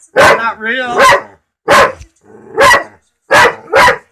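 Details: Mike the dog barks at a talking cat: five loud, rough barks in uneven bursts over four seconds, with a wavering whine-like sound between the first two.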